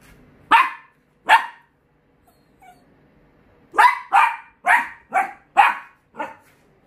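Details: Dachshund barking because someone has arrived at the door, an alert to a visitor: two sharp barks, a pause, then a quick run of six loud barks about half a second apart, each harsh and mid-pitched, in a quiet indoor space.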